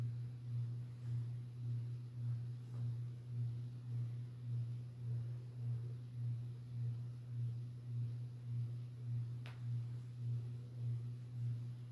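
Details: No animal sound; only a steady low mechanical hum pulsing regularly in a small room, with a faint click.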